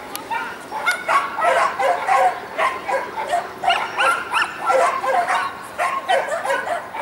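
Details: Dogs bark and yip almost three times a second at an indoor Saint Petersburg championship, 12 April 2015. The sharp, pitched barks come in irregular clusters over a background murmur of people talking.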